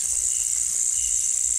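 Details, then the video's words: A flying insect, identified as a locust rather than a cicada, gives a steady, high, hissing buzz without pauses during a night walk in Temburong rainforest near Ulu Temburong National Park, Brunei. "a locust, not a cicada. I thought it was a cicada, but this is the noise of a locust."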